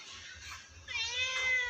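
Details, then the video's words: A black cat's sweet meow: a brief soft sound, then a clear, bright sustained meow rich in harmonics, holding steady for nearly a second. "shadow has sweetest meow"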